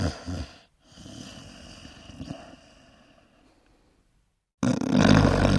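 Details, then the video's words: Loud snoring from a sleeping dog: a rough low rasp at the start, a fading, quieter wheezy stretch, then silence before a sudden harsh, heavy snore at the end. "snoring dogs - dogs snoring loud like humans"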